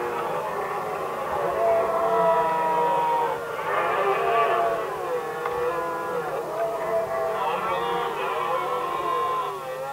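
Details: Stags of red deer contesting hinds in Västmanland, Sweden, 2010. Continuous, layered roaring from multiple animals, wavering harmonic bellows swelling and fading every couple of seconds.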